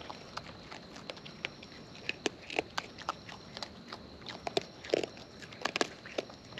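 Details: Wild raccoons eating up close, producing irregular crisp crunching bites that cluster toward the end, over faint steady hiss.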